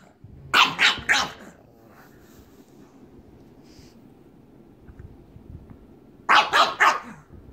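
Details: A pug trying to get another pug to play gives a quick run of three sharp barks, then another burst of three near the end.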